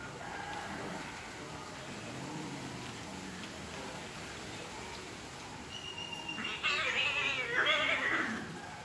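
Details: Cats in an angry fight: low murmuring background at first, then two loud harsh screeching bursts with wavering bands in the final seconds.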